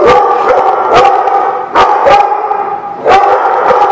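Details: Dogs in The Barking Lot, 30 January 2017: loud, clipped barks land roughly every second over a continuous backdrop of higher, wavering howls and whines from the group.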